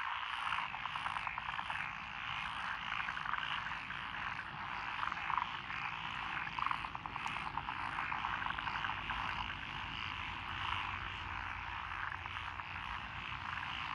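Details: Rice paddies planted with lotus in Echizen, Fukui, Japan, on 12 June 2021, where tree frogs, pond frogs and wrinkled frogs call together: thick unbroken croaking chorus, pulsed rattles throughout and a faint low hum beneath.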